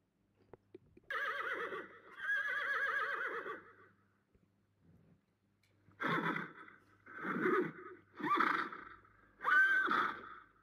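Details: Horse whinnying: a long, shaky, quavering neigh lasting about three seconds, then silence with a faint snort, followed by four shorter, rougher neighs and snorts in quick succession.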